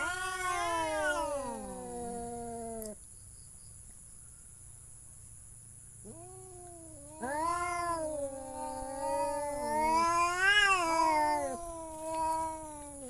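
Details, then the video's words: Domestic cat yowling: a long wavering meow that slides downward, about three seconds of near quiet, then a run of drawn-out, rising-and-falling meows. A faint steady high whine is present. "The sound of cat funny"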